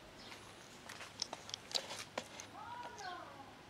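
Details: Kitten feeding on milk from its black mother cat: a run of sharp clicks and taps, then a pair of drawn-out, wavering meows that bend up and down before fading into background hiss.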